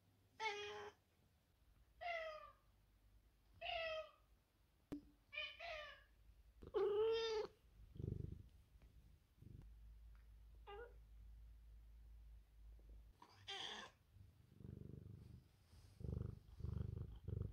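A Bengal cat calls in a quick series of bright, tonal meows, several bending up then down in pitch. Later come a sharper chirp-like call and soft, low purring rumbles.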